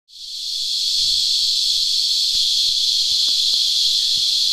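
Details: Cicadas, locally called Christmas beetles, feed on sap in a tree and sing a steady, loud, high-pitched buzzing drone that never breaks.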